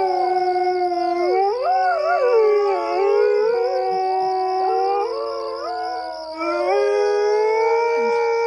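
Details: Several coyotes howling together, overlapping wavering tones that slide up and down and layer into a dense chorus, with a steady high whine running throughout.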